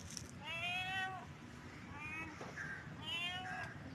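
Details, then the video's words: Cat in heat producing three drawn-out, nasal meows in quick succession, each bending downward at the end, with a soft knock and faint room noise underneath. "Cat Heat sound"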